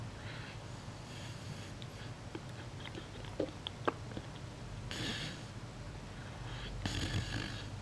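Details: Sleeping puppy snoring quietly, a soft prelude before heavier snoring begins: slow, breathy rasping exhalations, the clearest two near the middle and end, with faint sniffs and small clicks between them in a quiet room.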